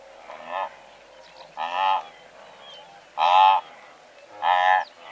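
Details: From a herd of several hundred blue wildebeest, four separate loud nasal honks, each under half a second, repeat roughly every 1.3 seconds against a low murmur of the herd.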